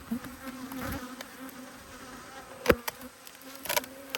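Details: Honey bees from two hives, cross at being inspected on 5 March 2022, make a steady low buzzing hum with faint overtones, broken by a few sharp clicks and knocks.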